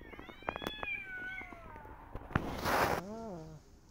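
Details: Persian cat and her adopted kittens out walking in a garden while watching rabbits; a drawn-out meow slowly falls in pitch, a brief rustling burst follows, then a shorter wavering meow ends the moment.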